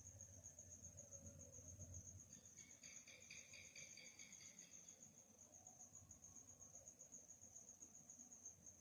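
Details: Night-time cricket chirping: a continuous high-pitched pulsing trill throughout, joined midway for about three seconds by a second, lower, stacked buzzing chorus of rapid pulses, over soft low rumble.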